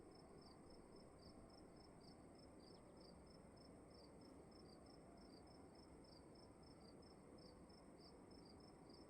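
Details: Indoor cricket chirping, with high pulses in an uneven rhythm, some doubled or staggered, over a constant murmur of low room noise.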